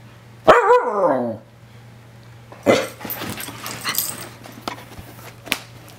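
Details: Young Australian Kelpie and bulldog mix, both rescues about two years old, at play indoors; one drawn-out whine falls steadily in pitch with clear harmonics, then scuffling, thumps and brief bursts of play noise follow.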